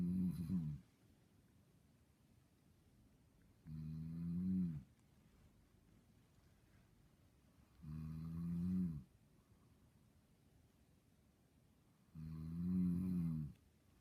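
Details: Snoring of a sleeping, dreaming dog: four rumbling, low-pitched snores, each roughly a second long, repeated about every four seconds with calm silence between.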